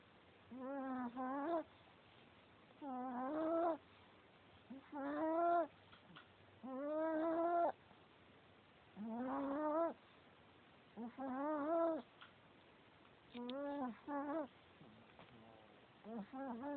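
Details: Sleeping Chihuahua snoring loudly: long, droning nasal snores with a buzzy harmonic tone, each lasting about a second, repeating roughly every two seconds in a steady rhythm, in a quiet room.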